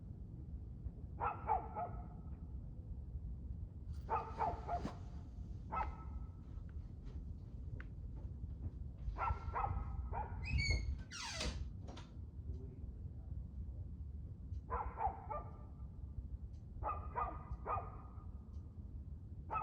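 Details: Evening barking from a dog, 2/6/2024 at 6:02 pm: repeated clusters of harsh barks, plus a brief high rising whine-like sound near the middle, all over a low background rumble.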